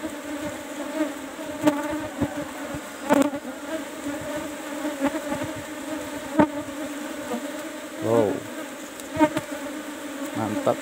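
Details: [1, 'likely', 'buzz', 'Asian honey bees (Apis cerana) in kept hive box number 17 during a honey harvest: a steady droning hum in layered tones, broken by sharp knocks and clicks from handling the box, with a brief voice near the end.']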